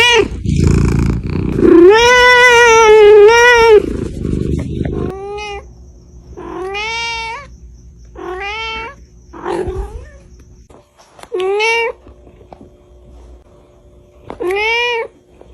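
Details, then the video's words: Cats meowing at Reebonz Cattery, British Shorthair kittens: a long wavering meow lasting about two seconds, followed by a series of short, rising-then-falling meows spaced roughly every one to two seconds. "Funny Cats Kitten Meowing Sound Effect"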